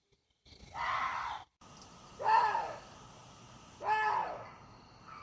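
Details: Water deer giving three loud, hoarse, harmonic calls, each under a second long and arching slightly in pitch, spaced about one and a half seconds apart over a faint background hiss.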